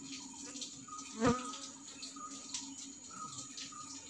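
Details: Asian honey bees (Apis cerana indica) in Sri Lanka, drawn to a clay pot (kalaya) baited with honey and placed on a tree at the start of bee season. A steady low drone runs throughout, with one brief louder close buzz in passing.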